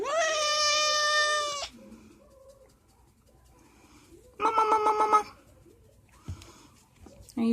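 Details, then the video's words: Pet cat making loud, strange noises while being scratched: a long drawn meow with a stacked harmonic tone lasting over a second, then a shorter wavering yowl, with quiet indoor background and faint rustling between calls. "Funny cat noises"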